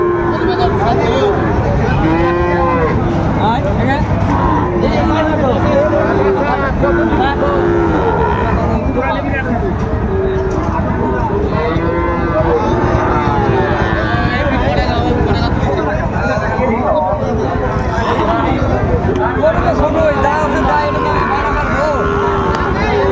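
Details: Sahiwal bull calf at the Raniganj cattle market in Dinajpur, Bangladesh, on 6 February 2025; repeated low drawn-out moos rise through constant crowd chatter, bargaining voices and market bustle.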